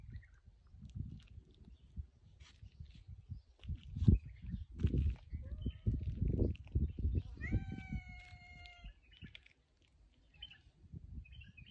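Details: Cat near a bucket gives one clear, drawn-out meow lasting over a second, steady then falling slightly, amid rustling and low thumping handling noises.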